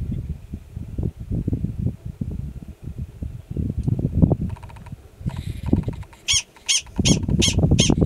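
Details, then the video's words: A yearling male Gunnison's prairie dog alarm calling in grassland at Valles Caldera National Preserve, New Mexico, in April 2017, giving sharp, high barks in quick succession over low rumbling wind noise. "Prairie Dog Alarm Call"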